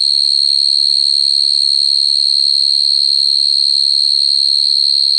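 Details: Natural field cricket song at night, calling to females and used to trap crickets: a loud, sustained, piercing trill at one high pitch, rapidly and evenly pulsed, over a faint low rumble.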